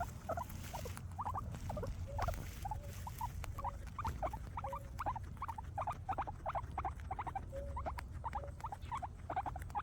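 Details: Several happy guinea pigs eating grass, giving rapid short squeaky chirps in a steady stream of a few per second, with occasional lower purring notes and a low background rumble.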